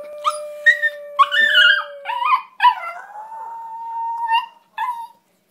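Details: Pet terrier singing with its owner: short yipping howls break into a long, wavering, steady-pitched howl that slides slightly and fades, with a woman's voice and a thin steady tone in the first two seconds.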